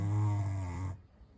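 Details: A pet pug, freshly bathed, snores while sleeping indoors at bedtime: one loud, low, rumbling snore lasting about a second, rich in buzzy harmonics, then it breaks off into quiet room noise.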